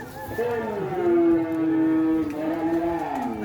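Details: Cattle at a Kerapan Sapi bull race on the Rosong field, Sapudi Island, giving one long, steady moo of about two seconds that starts slightly higher and then holds level, with faint crowd noise behind.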